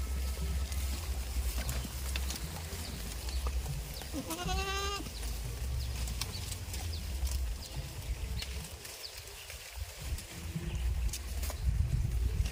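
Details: Goat on a village farm, with a single quavering, harmonic-rich bleat lasting about a second, about four seconds in, over steady low rumbling and background farmyard noise.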